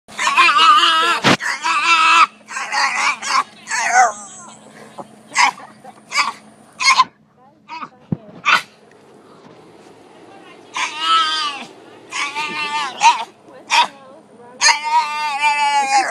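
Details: Dog barking at night at another dog passing by: dense bursts of loud harsh barks, some in quick runs, with a quieter gap in the middle before more rapid barking resumes.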